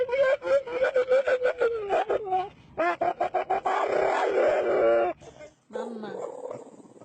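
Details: Puppies making funny pig-like noises: a rapid run of short, repeated grunting yelps about three per second, then a longer strained whine and a lower moan.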